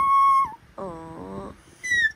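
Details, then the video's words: Ember, a talkative Pomapoo puppy, chatters: a high steady whine that drops at its end, then a lower buzzy, harmonic-rich grumble lasting under a second, and finally a short bright whine sliding downward, all indoors. "Ano kaya sinasabi ng baby dog ko- ang daldal eh"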